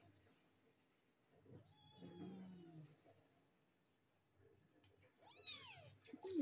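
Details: Stray kittens, three found together, one with a swollen sore eye cleaned morning and night: a drawn-out meow with a slight fall, then a shorter high meow that bends downward, over a quiet room with a faint voice.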